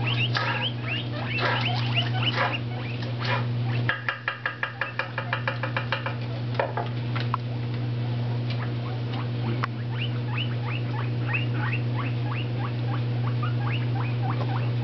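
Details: Two pet guinea pigs, Tribble an orange Abyssinian and Toffee a tricolored shorthair, hop about and eat lettuce on a new bedspread, wheeking: quick runs of rising squeaky whistles, a burst of rapid clicks near four seconds, and a steady low hum.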